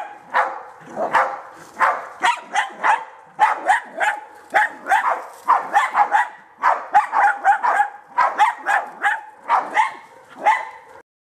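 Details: German Hunting Terrier bays at wild boar during hunting training, giving rapid, sharp, high-pitched barks, several each second, while a handler urges "hold him".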